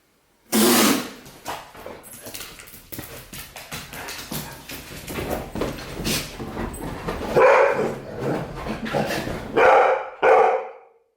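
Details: Golden retriever reacting to a human sneeze: a sharp noisy burst at the start, a stretch of low, mixed rustling and vocal sounds, then three loud, short barks close together near the end.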